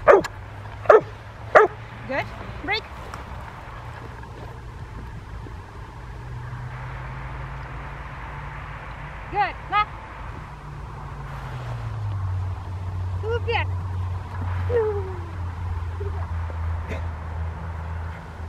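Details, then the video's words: Nine-month-old Rottweiler in training on December 12, 2012, being taught to bark on command, gives a burst of about five sharp barks in the first three seconds, then sporadic barks amid a handler's voice and steady low background hum. "Rottweiler teaching the bark"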